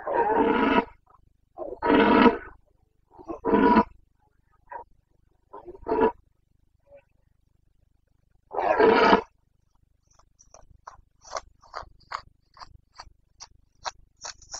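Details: Red deer stag of the Carpathians, Bucovina, Romania, in the breeding season rut, 29 September 2022. A series of harsh, grating roars in short bursts, a final long bellow, then a run of sharp clicking knocks.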